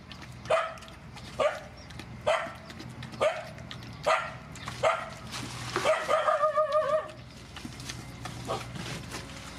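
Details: Mother dogs and puppies, rescued and being fed, give five evenly spaced loud barks about one second apart. A quick run of wavering whimpering yelps follows, then one last faint bark over a low background hum.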